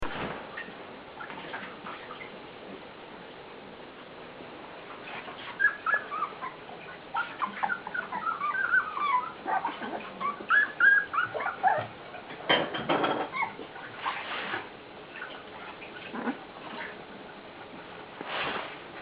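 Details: Puppies whimpering and squealing in overlapping high, thin cries, quiet at first and then busier through the middle, with thumps and handling noises mixed in.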